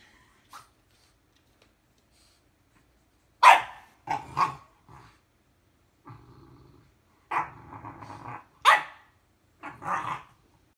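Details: Female French bulldog, two years old, squabbling with her four-month-old English bulldog puppy brother: loud sharp barks mixed with throaty growling bursts, arriving in irregular clusters after a quiet opening, about eleven outbursts a minute.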